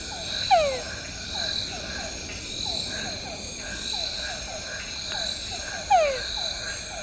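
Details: A túngara frog, a small species, calls at night while camping in Tayrona National Park, northern Colombia, giving two loud, falling whines about five seconds apart over steady insect buzzing.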